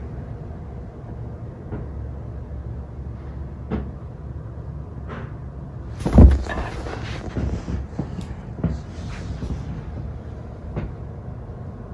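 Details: Low indoor rumble with scattered knocks and one loud thud, like a door or cupboard, and no animal call.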